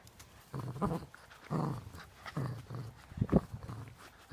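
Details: A female Cavalier King Charles Spaniel growls in low, rumbling bursts while playing tug of war, her favourite game.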